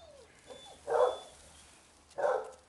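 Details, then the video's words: Two loud, gruff barks about a second apart from basset hounds playing at a kennel, with a brief soft whine at the start. "bagunça e festa de basset hound"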